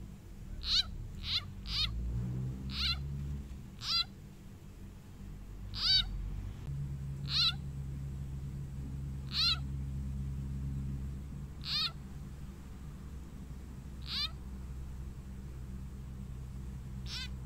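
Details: Frog being eaten by a snake gives repeated harsh, bleating squawks that sweep downward, about eleven cries coming every one to two seconds over a low steady hum.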